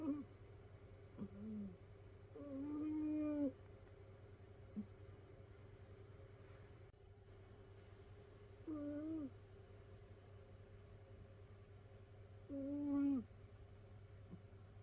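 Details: Sleeping domestic cat, a rescued animal living with many other cats, snoring indoors; three short whistled, downward-bending snores spaced several seconds apart, quieter breaths between, steady low hum throughout.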